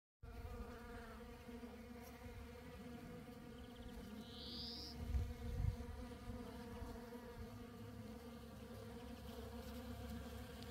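Honey bees fill the air with a steady, droning buzz, a low hum layered with rich overtones.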